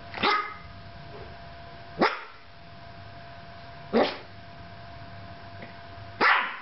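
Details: Yorkshire Terrier alone indoors with a camera, giving four sharp single barks spaced about two seconds apart, each a short bright burst, with quiet room hum between them.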